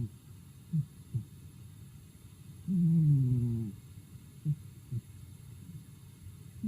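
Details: Daigoro, a pet cat, asleep at home: one drawn-out low, throaty breath sound with a falling, harmonic-rich contour lasting about a second, between soft brief low puffs in an otherwise quiet room.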